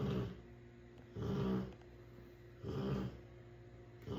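A sleeping Rottweiler snores in deep, rumbling breaths roughly every one and a half seconds.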